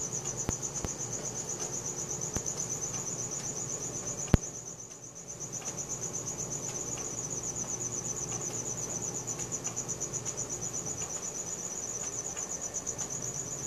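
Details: Crickets chirping at night, recorded on a Samsung Galaxy S4: a steady high pulsed trill, rapid even beats running without pause, with a faint low hum and a single sharp click near the middle.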